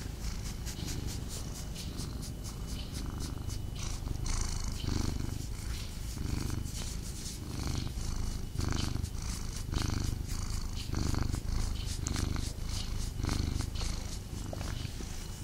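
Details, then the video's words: Domestic cat purring close up while snuggling indoors, restless and not fully settled; steady low rumbling purr pulsing in slow waves about once a second, with soft rustling of fur and fabric throughout. "ASMR Cat Snuggle Kuddle | Purring"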